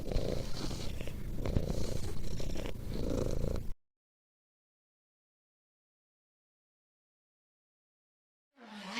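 A dog pants in quick, raspy, low breaths, nearly four a second, for several seconds; then silence, and another sound briefly begins at the end.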